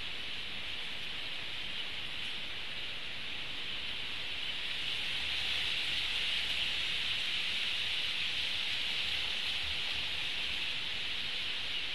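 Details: Steady hiss of wind and rustling vegetation, like light rain on leaves, with no animal calls heard.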